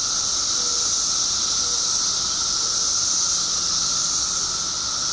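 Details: Illinois periodical cicadas, emerging en masse after 17 years underground, produce a relentless high buzzing chorus over a lower steady whine, with a few faint short tones and a low hum in the background.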